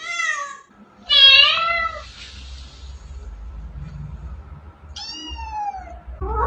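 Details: Domestic cat meowing: a drawn-out nasal meow, then a louder rising-falling wail, a pause with low background rumble, and a final descending meow near the end.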